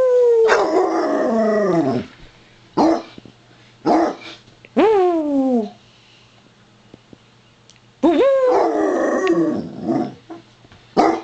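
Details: A Basset Hound greeting with her own chuckling, howling voice: long falling howls with bright harmonics, broken by short yelping bursts and pauses, all indoors with a steady low hum behind.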